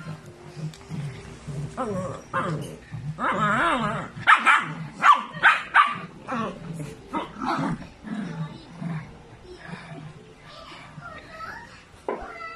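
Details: Tiny female Rottweiler puppy named Sora, at home, gives a burst of short, sharp, high yelping barks mid-clip, several in quick succession, mixed with people talking nearby throughout.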